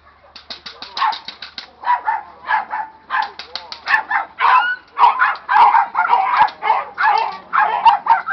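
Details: Young Presa Canario being agitated during early training, barking in rapid, uneven bursts of roughly two barks per second, each bark harsh and mid-pitched; a short yip and faint voices between the barks.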